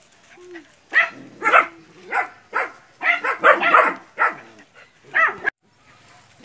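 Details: Puppies, nine in all, barking at a large water buffalo in practice before real fieldwork, Porbi Sumbar, Indonesia: irregular high, sharp barks from several animals, some overlapping, ending abruptly.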